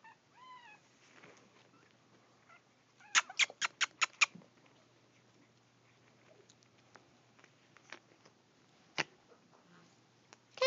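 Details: Three eight-week-old Chihuahua puppies, two males and one female, indoors; thin high squeaks arch up and down at the start, then clattering taps and knocks, with another squeal at the end.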